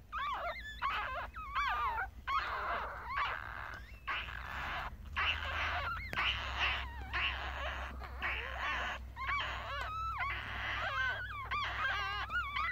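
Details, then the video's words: Newborn Yorkie puppies on their first day, litter of three males and two females, Galaxy S7 recording; continuous chorus of high whiny squeals and wails, wavering in pitch, with a low background hum. "Baby Yorkie Puppies Was Just Born.. 아기 요키 강아지가 태어났어요.."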